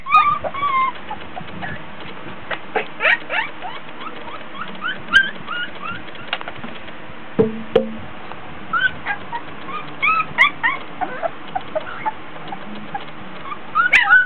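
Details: Border Collie puppies aged 24 days at play, whiny and tired: scattered soft whimpers and squeaks, sparse in the middle, with a brief low thud and a livelier cluster of high whines toward the close.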